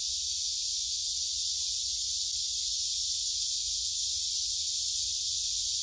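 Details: Massed cicada song in Gyeongju's Gyerim forest, 16 July 2022, filmed on a phone during a walk; a continuous piercing high hiss with no pauses dominates, with soft low rumble beneath.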